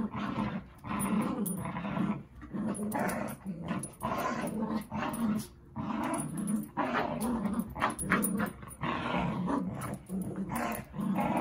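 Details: Playful growling from Zuko, a dog, during a game with Izzy inside a room: sustained throaty rumbles rising and falling in loudness, nearly continuous, with only short breaks.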